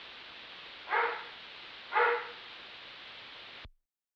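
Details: Barking from a neighbor's dog heard from a distance: two short mid-pitched barks about a second apart over faint hiss, then the recording cuts to silence.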